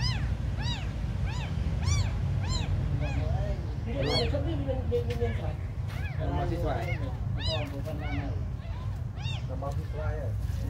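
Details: Tiny abandoned kittens crying almost continuously: bright, high, rise-and-fall mews repeated roughly every half second, several voices overlapping, over a heavy low rumble.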